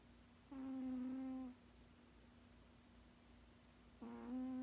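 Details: Sixteen-year-old male cat asleep indoors, snoring: a steady, low humming drone with faint overtones lasts about a second, then quiet, then a second humming breath begins about three and a half seconds later; a quiet room otherwise.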